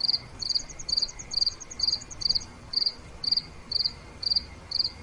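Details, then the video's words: Nighttime cricket chirping, each chirp a short cluster of quick pulses, sounding roughly twice per second, while a second higher cricket adds fast ticking pulses early on over soft background hiss. "5 Minutes Nighttime Cricket Sounds—Relaxation Sounds Nature Crickets Chirping Cricket Sounds Night"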